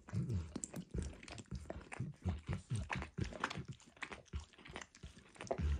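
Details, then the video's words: A dog named Max working his tongue over a bumpy orange mat smeared with egg and peanut oil, making quick wet slurps and tongue clicks in irregular runs, recorded close in a quiet indoor room. "ASMR Dog Licking"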